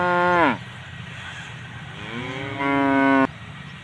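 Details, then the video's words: Two moos from tame cows grazing with their calves: a first half-second call that drops in pitch, then a pause and a longer rising call that levels off and stops abruptly, with a low hum beneath. "the sound of cute tame cows grazing with their calves"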